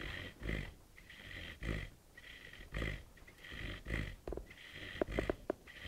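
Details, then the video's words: Sleeping puppy snoring at night, its unusual sounds waking the household: rough, low snorting breaths repeat about once a second, each with a nasal rasp, while a few sharp squeaks come near the end. "Щенок храпит во сне"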